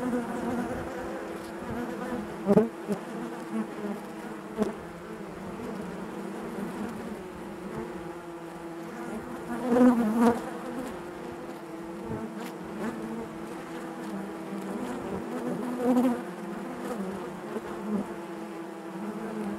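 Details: Honey bees humming en masse inside the hive, a sustained layered drone over twenty seconds, punctuated by sharp close buzzes near two and a half, ten and sixteen seconds.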